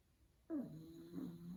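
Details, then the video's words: Sleeping pug snoring indoors, one loud harmonic snore starting abruptly and holding a low tone for about a second. "Cute Dog Sleeping & Snoring"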